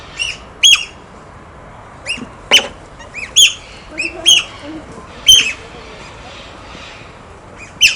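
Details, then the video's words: Otters playing with stones: sharp high chirping squeaks in short bursts, irregularly spaced, with a few clicks and faint background noise. "Som da Lontra, Lontras Brincando"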